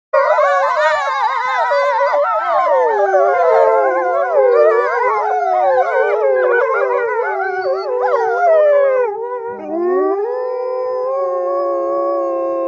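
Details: Gray wolf (Canis lupus), chorus howl.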